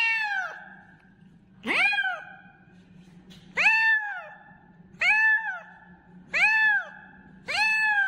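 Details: Kitten calling loudly, meowing repeatedly: six loud, harmonic meows, each rising then falling, spaced about every second and a half, with a steady low hum between calls.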